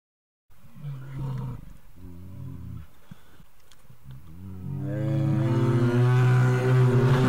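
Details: Himalayan brown bear in India roaring: broken, deep harmonic growls in the first seconds, then a louder sustained moaning roar that swells and holds steady to the end.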